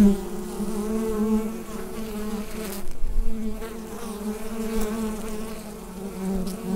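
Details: Bees buzzing inside a hive, recorded with a Rode NT-USB microphone: a dense, steady low hum with wavering overtones, briefly dipping just before the third second, then resuming at an even level.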